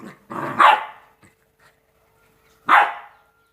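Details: Two-month-old Rottweiler puppies playing: a growly rising bark, then a pause, then a single sharp yap.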